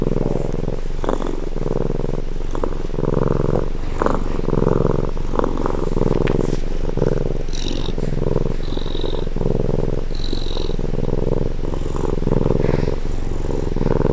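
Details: Close-range recording of a domestic cat purring, a deep continuous rumble pulsing in even cycles, with a few faint higher chirps or whistles in the background.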